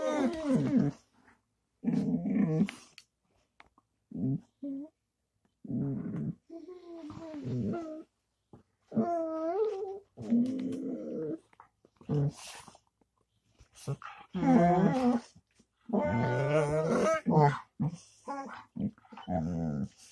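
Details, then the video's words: Dog producing lots of vocal sounds and tones indoors: grumbling growls mixed with whiny, pitch-bending moans in short uneven bursts separated by pauses, some rising and falling like talking. "dog vocals 7 (lots of vocals, and tones)"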